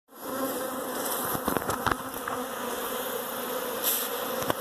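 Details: Western honey bees buzzing steadily inside a house, a continuous droning hum with a few brief clicks and taps.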